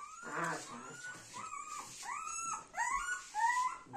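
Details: Little Golden Retriever Dona together with mother Anna and her grandmother; a run of high, thin whines, each sliding upward and then holding, repeated about every second, while a person coos nearby.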